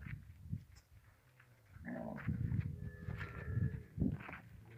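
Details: Camel with its calf: low, rough grumbling and groaning bursts, one near the start and a longer run through the second half, with a steady higher drawn-out tone partway through and some background noise.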